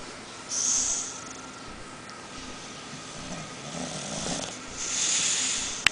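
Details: Fusca, a male Bulldog, snoring while asleep; airy, hissing snore breaths swell at the start and again near the end, with a rougher, grumbling breath in between and a sharp click at the close.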